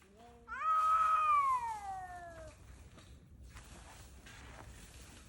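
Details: Stray cats, cold and starving, out hunting for prey: one loud drawn-out yowl that rises then slowly falls over about two seconds, with strong harmonics, followed by quieter rustling background noise.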